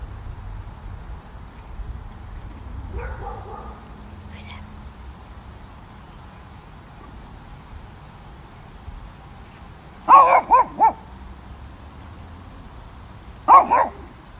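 A Shih Tzu gives a quick burst of high, sharp barks, then another short pair, answering another dog.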